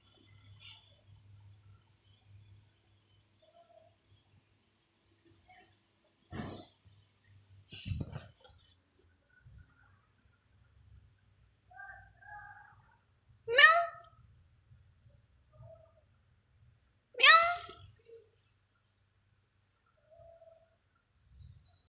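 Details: Kittens meowing, described as angry: two loud, rising then falling wavering meows a few seconds apart stand out, with softer scattered squeaks, rustles and a faint low hum between them.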